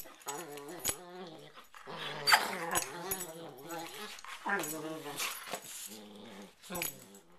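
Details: Two dogs playfighting on a bed at night just before sleep in a prey-predator ritual, trading growls, snarls and high harmonic whines in repeated bursts, indoors in a small room.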